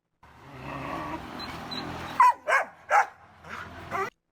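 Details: Belgian Malinois, played for comparison and described as a high-energy, anxious breed. After a muffled rumbling lead-in, three loud, sharp barks come in quick succession, followed by a softer fourth.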